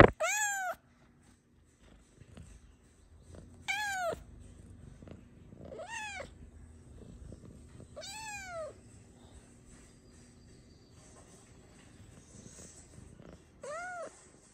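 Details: Luna, a talkative, playful pet cat that loves to chat and express her thoughts and feelings, gives five clear arching meows, each rising then falling, spaced a few seconds apart, with a soft low rumble and quiet indoor background between calls.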